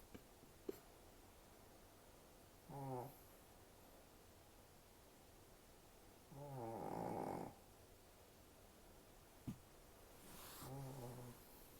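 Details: Shih Tzu, a brachycephalic breed with a short snout and short breathing passage, snoring indoors: three rasping, low-pitched snores about four seconds apart, each a rattling buzz lasting under a second, with quiet breathing pauses between.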